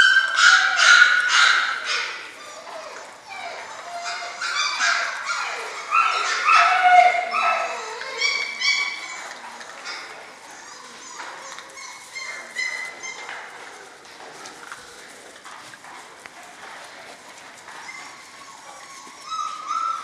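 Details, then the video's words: Six-week-old German Shorthaired Pointer puppies from one litter calling together: a busy chorus of short yips and drawn-out whimpers, loud at first, then thinning into scattered squeaks. "German Shorthaired Pointers Sevens Litter at 6 Weeks old"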